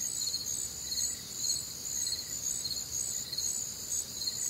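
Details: Night chorus of crickets on a warm, humid Midwestern summer night, pulsing about twice a second in bright high chirps above a continuous shrill ringing, some quieter lower chirps between.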